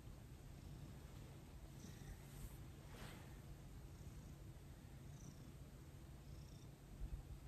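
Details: Thomas, a pet cat, purrs during a massage in early December 2021; a soft, low continuous rumble runs throughout, with a couple of brief rustling sounds from handling near the middle.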